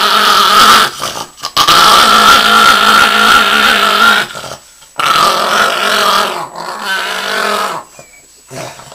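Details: Yoshi, a pet Chihuahua, just after a bath and hating bath time, gives a long, continuous, raspy growl with a whining edge. It comes in two sustained bouts of about four and three seconds, split by brief silent breaks.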